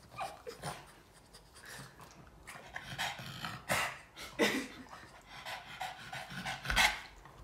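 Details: Boston Terrier named Yoda, a pet dog, eagerly licking its owner indoors: wet smacking licks and quick snuffly breaths in irregular bursts, with sharper louder licks near the middle and end, and a few soft words from the owner.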